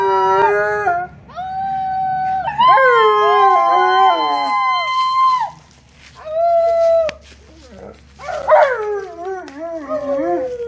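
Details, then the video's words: Excited by company at home, the Malamute Tonka lets out a series of long howls, some sliding upward and bending down at the ends, with short pauses between, ending in a wavering, yodel-like stretch. "Malamute Has Company & They Have A Howling Good Time!!"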